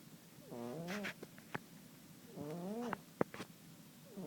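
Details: A sleeping house cat gives two drawn-out, reedy snores that climb and then fall, mixed with soft clicks and small knocking noises.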